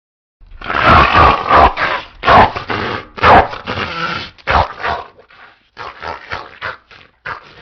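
A pit bull gives a series of loud, rough barks at an uneven pace, some running into growls. Other dogs can be heard in the mix, and the barking thins into shorter bursts near the end.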